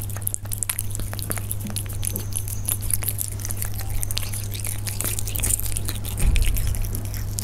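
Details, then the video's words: Close recording of Persian cats while they eat: scattered crisp crunches and tongue clicks, growing a little louder near the end, set against a steady low droning hum. "The sound of Persian cats when they eat"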